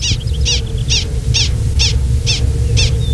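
Gunnison's prairie dog barking an alarm at a person: seven sharp, high chirps, about two per second, over a steady low hum.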